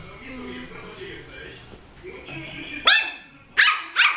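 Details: Puppies barking: after a few seconds of low murmuring background sound, three sharp, high barks burst out in quick succession near the end.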